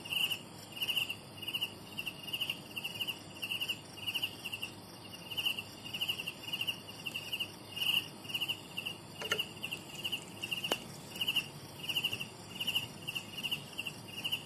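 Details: Young crickets chirping in steady, high-pitched bursts, each short trill repeated roughly twice a second without pause, with a couple of sharp clicks midway and a faint background hiss.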